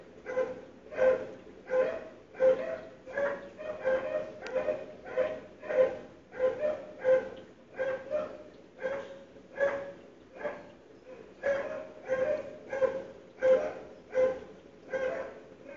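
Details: Dogs barking on a morning in February 2012, heard from inside a house through sealed windows and doors: steady repeated barks, roughly one every three-quarters of a second, for the whole stretch, with a brief metallic clink.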